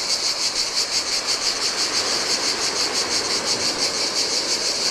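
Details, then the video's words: Cicadas on a Greek island shore along the Adriatic, singing in the heat: a shrill continuous buzz with quick rhythmic swells, low wash of surf underneath. "Cicadas by the Sea - Ocean Waves & Cicada Sounds"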